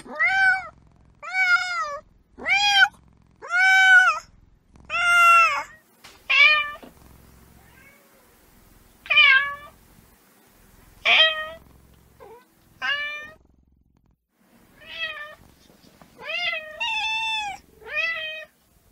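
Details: Kitten meowing insistently, about fourteen bright, harmonic cries over nineteen seconds, rapid and closely spaced at first, then more irregular with some shorter, squeakier calls and longer gaps, over a quiet background.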